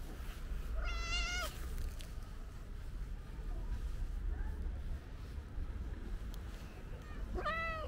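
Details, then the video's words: Calico stray cat giving two clear harmonic meows, one near the start and one at the end, separated by several seconds of low, steady outdoor rumble. "Cute Meowing Calico Cat is Absolutely Adorable"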